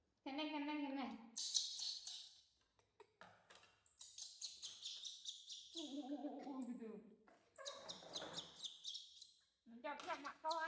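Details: Baby monkey crying loudly for its mother's attention: shrill, strained wails and squeals in repeated bursts, some rising high and thin, separated by brief silences.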